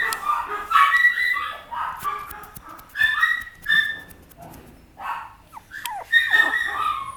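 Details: Female Papillon puppy yapping repeatedly in high, squeaky bursts mixed with whines, several clusters of sharp yips across the stretch.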